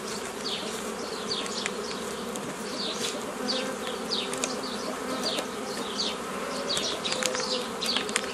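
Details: Steady droning buzz of many honey bees as nucleus colonies are formed the traditional way, 15 May 2018; constant low hum, lively bird chirps sweeping downward above it, occasional faint ticks.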